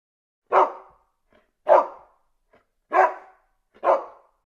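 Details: Dog barking: four loud, short, harsh barks spaced about a second apart, each dropping off quickly, with silence between them.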